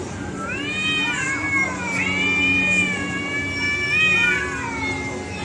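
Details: Domestic cats fighting, giving long drawn-out harmonic yowls that waver and slide up and down, overlapping in a sustained tense caterwaul with a steady low hum beneath.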